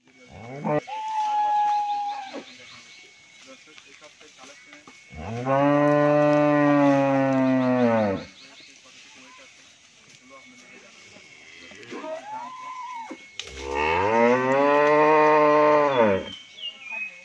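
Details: Sahiwal-Brahman cross bull kept for sale on a dairy farm in Bangladesh, giving two long, loud, harmonic moos of about three seconds each, rising then falling, plus shorter tonal calls and low human voices in between.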